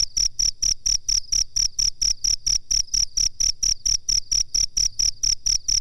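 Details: Rhythmic chirping of a cricket, used as master training audio for birds: evenly spaced, shrill pulses around four per second, each with a soft low-pitched knock beneath.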